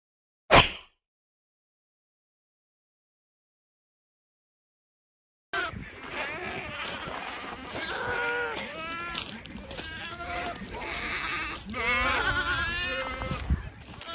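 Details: Boer goats on a farm: after a brief thump and several seconds of silence, repeated wavering bleats from several animals overlap with people's voices and general farmyard noise.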